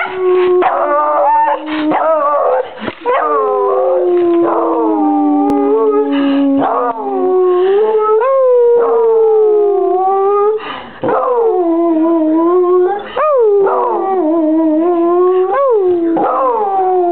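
A beagle gives a sustained, mournful howl with long drawn-out notes that waver and slide downward. Between the long tones come brief breaks and sharp upward yelps before the howling resumes.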